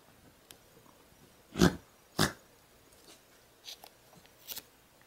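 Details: Bark from one of two miniature poodles at home, black puppy Hugo, born April 2013 and newly joined, and apricot Sydney, recorded June 2013 indoors in a small room: two sharp loud barks about half a second apart, then faint softer yips and rustles.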